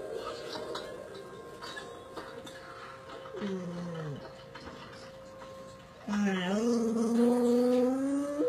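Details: Sherlock, a dog, howling indoors: a long steady tone, then a drawn-out howl sliding downward, and after a pause a loud sustained howl that starts low and slowly climbs, with faint background noises.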